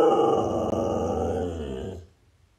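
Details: A pet Siberian Husky lets out a loud, drawn-out howl of about two seconds, richly harmonic and sliding gently downward in pitch before stopping abruptly into near silence.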